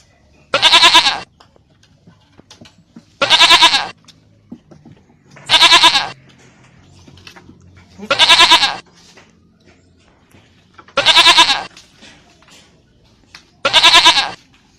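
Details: Goat bleating six times at fairly even intervals, about every two and a half seconds, each call a short nasal, wavering bleat; quiet background between calls.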